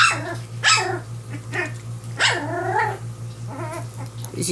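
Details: Young Portuguese Water Dog puppies of Zeba and Dozer during their first meal: a few drawn-out, wavering whines and squeaky yelps, each falling in pitch, with a constant low hum beneath.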